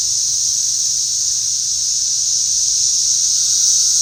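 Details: Cicadas flying around and going wild, their dense high-pitched whirring drone steady and unbroken across the whole stretch, with no other clear sounds.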